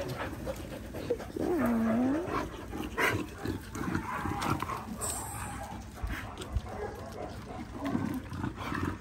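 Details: Playtime in a paddock as Linc, an Australian cattle dog puppy, plays with larger puppies; one clear, drawn-out, dipping whine early on, then scuffles, soft yips and background rustling.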